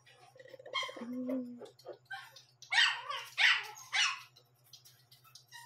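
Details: Young Shih Tzu, one month and seven days old, barking at night: three loud, harsh barks in the middle, with a human voice and faint music in the background.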